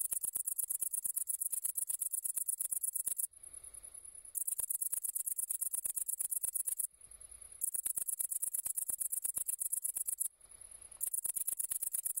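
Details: A great green bush-cricket (Tettigonia viridissima) sings a shrill, very high buzzing trill in long bursts with brief pauses.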